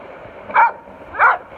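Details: Two short, bright barks about 0.6 seconds apart from Ramsey, a rescued Pit Bull filmed up close, with a faint background hum between them.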